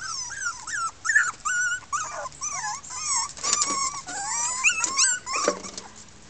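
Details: Red female Miniature Pinscher puppies, a 2013 litter of six, complaining indoors: a jumble of wavering, bending whimpers and yelps from several pups, rising and dipping irregularly, with short gaps between bursts.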